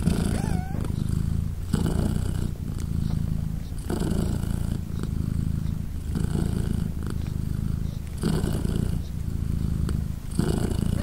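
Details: British Shorthair mother cat Polina with her three 3-day-old kittens as they nurse: a deep continuous rumbling purr that swells with each breath about every two seconds, with a short high kitten mew near the start.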